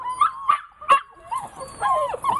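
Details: Dog eager to play lets out three quick high yips, then longer wavering whines that rise and fall in pitch.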